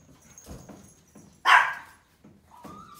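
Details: Pomeranian. A Pomeranian puppy lets out a single sharp, high-pitched yap, bright and brief. Soft rustling and a faint whine-like tone fill the quieter moments around it.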